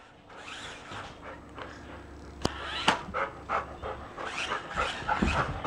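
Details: Poodle and English Cream Golden Retriever chasing an electric R/C monster truck in a living room; rapid rhythmic panting bursts, uneven, with thumps of paws and the toy car's whirring motor indoors.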